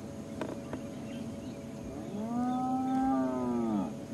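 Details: A spotted hyena at Sabi Sand near sunrise on 17 January 2016 gives a low, drawn-out, cow-like moan. This long-range contact call carries a couple of kilometres to other hyenas.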